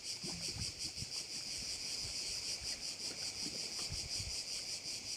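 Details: Insect chorus of crickets at a Korčula bay: a bright, high buzzing wall pulsing in rapid, fairly even beats near three per second, with scattered soft low thuds and a light wind-like rumble.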